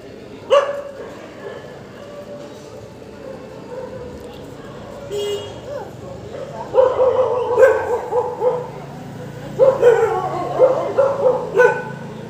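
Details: Dogs, described as jolly on waking, bark in a single early yap, then in quick clustered runs of several barks toward the end, over faint background noise.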